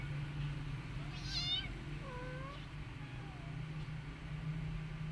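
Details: Rescued mother cat caring for her adopted kitten alongside her own kittens; one bright, high, wavering mew, then two shorter, softer mews and a faint last one over a steady low hum.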